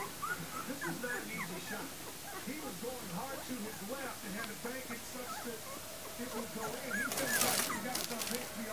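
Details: Puppies of Libby and Hoops' litter, born January 28, 2012, squeal and whimper in a busy overlapping chorus of short, arched, squeaky cries, repeated several times a second, with a burst of rustling noise near the end.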